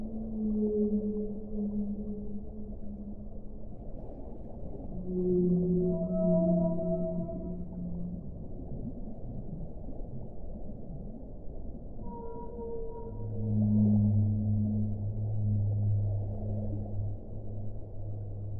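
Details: Long mournful whale moans, some deep and others higher and briefly wavering, come in separate phrases of a few seconds each, with quiet gaps of hissing water noise between them.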